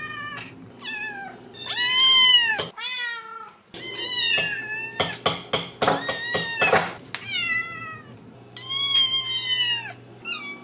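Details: Kittens and cats meowing indoors, the same two animals recorded over six months: loud rising-falling meows, a burst of rapid clicking or tapping in the middle, then more high arched meows over low hum.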